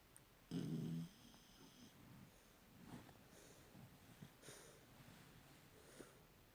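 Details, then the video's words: Sleeping puppy with one loud, low, rough snore burst lasting about half a second, followed by quiet, faint breathing in a small indoor room. "Snoring Puppy"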